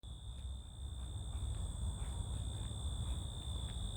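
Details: Crickets outdoors make a continuous, steady high-pitched buzzing, with a fainter higher tone above, over constant low rumbling background noise.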